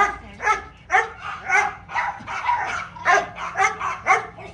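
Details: Little dog during playtime, with Simba and Mayo, one of them playing with a hose. Tonal squeaky yips rise and fall, roughly two a second, each with a ringing, whine-like quality.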